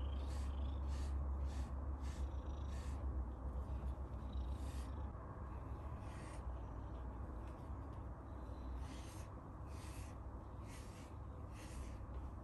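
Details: Abyssinian cat; purr; contentment while being groomed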